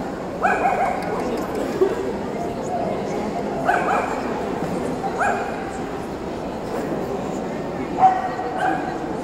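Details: Tibetan Terrier at the Euro Dog Show 2018, barking in short, sharp single yaps spaced roughly one to three seconds apart, over a constant hall murmur of crowd noise and voices.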